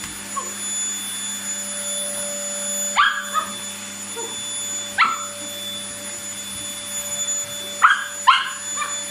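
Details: Happy Toy Poodle, one year eleven months old, during vacuum cleaning: scattered sharp yips and short barks, spaced two to three seconds apart with a quick double near the end, over a constant mechanical hum.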